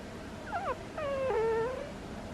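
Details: Squeaky snoring from the sleeping pet cat Butters: a short wavering squeak, then a longer whining tone that dips and holds, drawn out for nearly a second, over quiet background.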